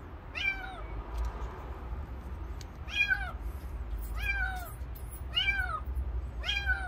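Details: Stray kitten found outdoors after its crying was heard, calling five times in a row, spaced roughly one to two and a half seconds apart. Each meow is clear, bright and arching, with faint traffic rumble behind.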